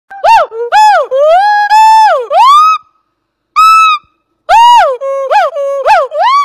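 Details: Agile gibbon, also called black-handed gibbon or ungko, singing clear, loud, hooting whistled notes that swoop up and down, some held and level, in short runs broken by pauses.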